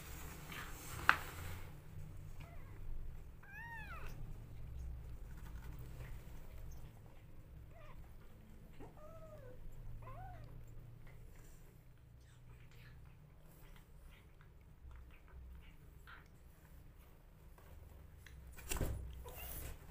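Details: Rescue kittens being bottle fed let out a few thin, arched meows spaced a few seconds apart, then quieter sucking and rustling, a sharp click early on and a low steady hum throughout.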